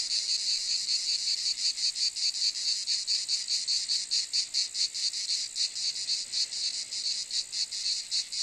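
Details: Cicadas in a loud, high, hissing buzz that swells and dips in uneven pulses, roughly two to three beats a second, with no other sounds.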